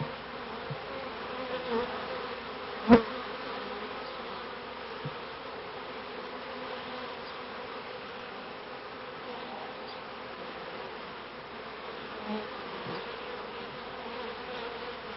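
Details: Many honey bees humming around early hives in a 1994 bee yard. A soft, continuous swarm drone throughout, with one sharp click near the third second and a few faint knocks.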